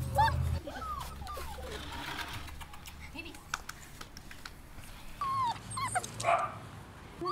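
Rottweiler puppies whine in high, wavering, curling whimpers, with people talking nearby.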